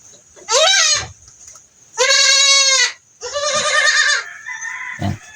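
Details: Goat with pink eye during treatment, giving three loud, strained, nasal bleats, each about half a second to a second long with a wavering pitch, separated by short pauses against a faint steady background hiss.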